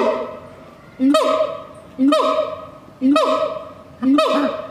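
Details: At night, a siamang gives loud, hoarse, honking calls, one about every second in a steady series.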